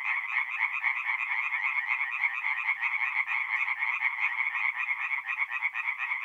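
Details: Tree frogs singing at night at a forest pond in north-east Italy in mid-April: a dense, steady chorus of rapid, rattling, overlapping croaks, several callers at once, with no other sounds.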